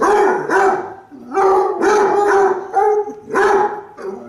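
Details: Basset Hound barking: loud, resonant, harmonic barks in quick runs of two or three, some drawn out into short baying notes, with brief pauses between bursts.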